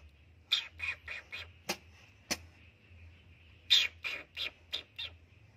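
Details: Scared kitten in its hiding place hisses at an intruder, giving a rapid series of sharp, airy spits and hisses in two bursts, about a dozen short noisy puffs over a constant high-pitched background hum.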